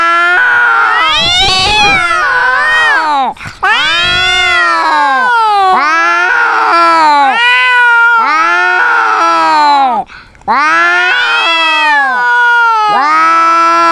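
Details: Quarrelling domestic cat producing a run of loud, wavering caterwauls. Each rises, holds, then sags in pitch. The yowls follow each other almost without pause, broken by two brief gaps, in a heated cat argument.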